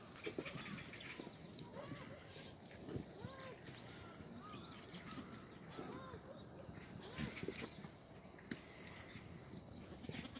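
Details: Black goats in the goat exercise yard of Sunny's Black Goat Farm, Gimhae, South Gyeongsang, South Korea, on a clear Tuesday morning, 2 April 2019: several short, arched, wavering bleats from multiple animals, overlapping at irregular intervals over rustling and shuffling.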